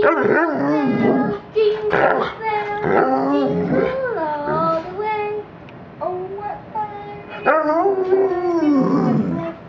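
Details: A golden Labrador retriever sings holiday carols, chiefly Jingle Bells. Continuous warbling howls slide up and down with shifting pitch. Overlapping voice-like sounds may come from people singing along, ending in a drawn-out falling wail.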